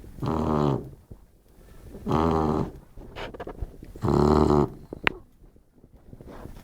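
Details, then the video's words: Sleeping Labrador Retriever snoring in a steady rhythm, three buzzy, low, rattling snores roughly every two seconds, with soft breaths and a faint click between them in a quiet room. "mi labrador, durmiendo y roncando"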